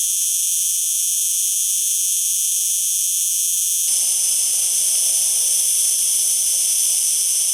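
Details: Steady high-pitched buzzing of a singing cicada, sustained throughout; about halfway the texture shifts slightly as a faint low rustling background joins the loud, unchanging drone.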